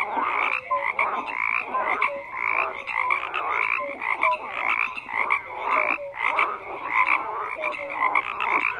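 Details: A thick chorus of frogs, many voices croaking at once, rapid raspy pulses repeating about twice a second mixed with brief whistled tonal notes, no other sounds.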